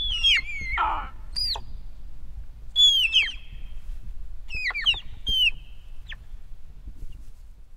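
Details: Dybowski's sika deer hinds (Cervus nippon dybowskii) give high, thin whistles that slide sharply downward, in quick clusters of two or three.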